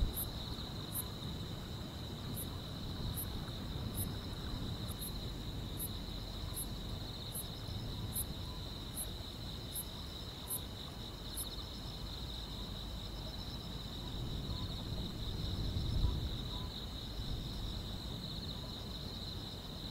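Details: Grass insects chorus on a quiet rural summer night: a continuous high, ringing trill with short, bright, evenly spaced chirps and a soft low rumble beneath; grass insects.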